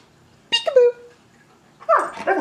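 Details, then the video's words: Siberian Husky, an elderly male almost 14 years old, indoors, reacting to a peek-a-boo game: a short harmonic whine-howl that slides downward and trails off, followed by a person's voice repeating the game. "Husky hates Peek-A-Boo"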